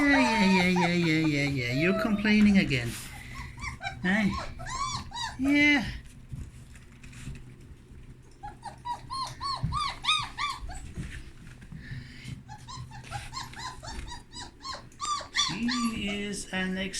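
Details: Young puppies exploring their freshly changed whelping box; a woman speaks at the start, then a run of thin, rising-and-falling puppy whimpers repeats through the middle, with more talking near the end.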